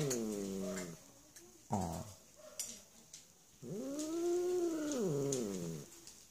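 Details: Female cat living in an animal shelter in Germany; a short meow, a brief second cry, then a long drawn-out meow that rises and falls, with a woman softly talking to her between calls.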